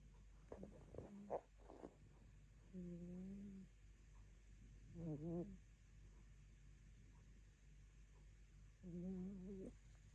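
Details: Sleeping rescue cat, dreaming on a dull afternoon, lets out low drawn-out murmuring hums, about three spaced several seconds apart, some wavering in pitch, after a few soft ticks and rustles at the start; otherwise quiet room.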